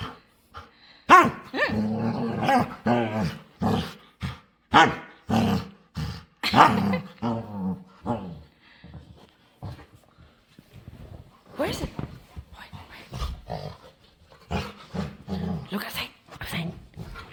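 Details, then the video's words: A playful dog begging to play and making weird noises: a run of short, gruff growling and grumbling bursts, irregularly spaced, then a pause and more scattered grumbles and snorts. "Playful Dog Makes Weird Noises"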